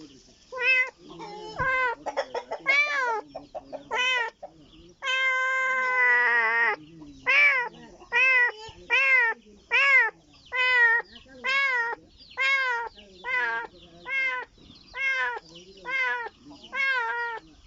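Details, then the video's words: A kitten calling in search of its mother: loud, arching, harmonic meows repeated about once a second, with some drawn out longer and a few run together in quick bursts, over a quiet background. "A kitten that makes noise in search of its mother"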